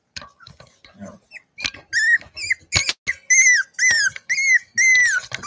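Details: Cavalier King Charles Spaniel puppies playing in a house where they are raised. After some soft scuffles, a series of loud, high, whistle-like squeals repeats about twice a second, each arching up and then falling.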